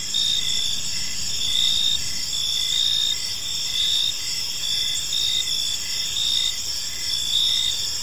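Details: Gentle chirping of crickets in a serene park at evening: dense high trills hold steady while a quieter lower chirp repeats in short regular dashes, soft background noise underneath.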